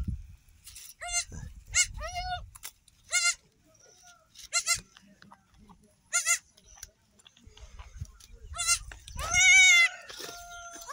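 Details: Three newborn female goat kids on an off-grid Ugandan homestead seeking to suckle; a series of short, quavering, high bleats repeated every one to two seconds, ending with a longer louder bleat, over quiet low rustling.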